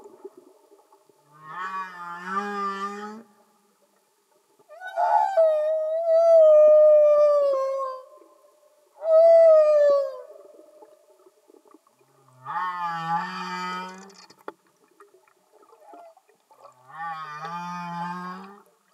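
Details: Humpback whale singing underwater, with five long harmonic moaning units separated by short pauses. Some rise slowly and others waver or fall, with low groaning tones under bright upper overtones.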